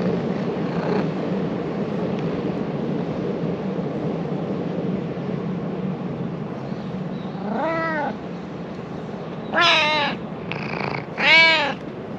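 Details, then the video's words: Freshly woken stray ginger cat living in Japan, friendly and affectionate, answers with a run of four rising-and-falling meows, the last two louder and brighter, after a stretch of steady traffic hum. "Cute stray cat started saying something to me when I woke him up."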